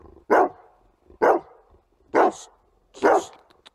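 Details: Rottweiler being greedy with a toy, barking four times at roughly one-second intervals, each bark short, loud and harsh with a slightly rasping end.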